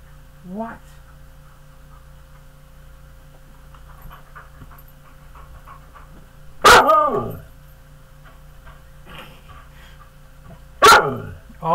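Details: Indoors, a big pet dog gives a brief soft whine, then two loud, sharp barks about four seconds apart, with quiet human talking between them.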